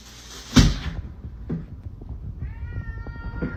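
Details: Domestic cat from a funny cat compilation giving a short, level, harmonic meow in the final second, after a loud thump and some rustling and knocking indoors.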